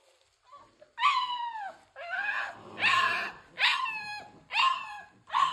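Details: Three-week-old American Bully puppies, a litter from King Clyde and Dynasty, 2022: loud repeated whining cries with harmonic, falling whistle-like tones, about six cries in under six seconds, each lasting close to a second, with short gaps between them.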